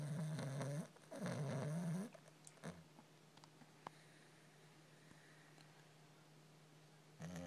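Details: Sleeping puppy snoring: two rough, low rumbling breaths in the first two seconds, then quiet with small clicks, and another snore starting at the very end.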